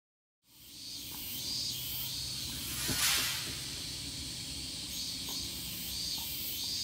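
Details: Evening cicadas in Japan: after a moment of silence, a shrill buzzing chorus with pulsed high bursts, a sharp rustling crackle at mid-clip and a low background drone.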